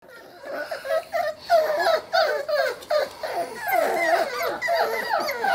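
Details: A litter of five Sealyham Terrier puppies whining and yelping together, a busy stream of short, high, squeaky whimpers and yips tumbling over one another several times a second.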